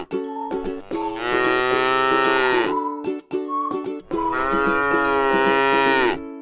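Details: Gentle cow resting in a scenic rice paddy lows twice, each moo long and steady with a slight fall at the end, while plucked music continues quietly in the gaps.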